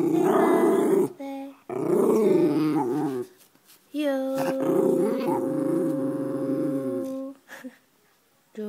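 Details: White pet schnauzer vocalising in song: rough, growling howls followed by a long, steady, clear held note lasting about three seconds, then a short fading whine.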